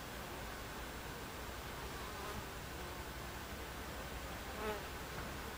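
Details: Constant buzzing of Buckfast honey bees inside an alternative hive on July 29, 2013, an even hiss-like hum with no pauses and a faint brief whine near the end.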